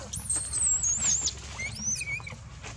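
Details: Baby monkey Dito screaming loudly for milk and biting Anya; very high-pitched, piercing squeals that waver and slide down, followed by shorter mid-pitched squeaks.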